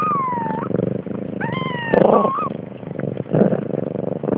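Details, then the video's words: Siamese kittens and their protective mother at a cattery in Sweden, the kittens born 30 October 2011; high descending meows near the start and around 1.5 seconds, with lower growl-like sounds and background rumble beneath. "Cute siamese kittens and a protecting mother"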